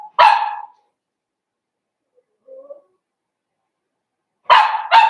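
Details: Blenheim Cavalier King Charles Spaniel puppy, one of five littermates born at New Year's, kept in a home puppy pen: a sharp yap, a faint brief whine, then a quick double bark.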